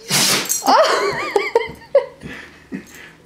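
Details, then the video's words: Rosie, a Great Pyrenees puppy, sneezes indoors: one loud, explosive, hissing burst, then a wavering voiced sound and a few soft knocks. "Rosie: The Great Pyr'sneeze' Puppy"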